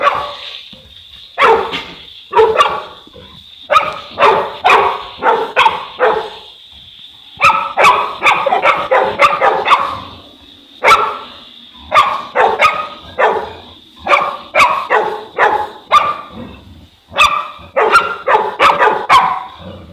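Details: Deep, hoarse barks from a Boerboel (African Mastiff), part of a male-and-female couple kept in Egypt, delivered in clustered runs of three to six barks separated by brief silences, over a constant faint high tone.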